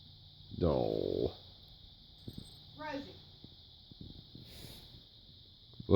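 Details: A female Bengal cat gives a loud, drawn-out, throaty yowl, then a shorter wavering cry; her owner suspects she is in heat and ready to mate.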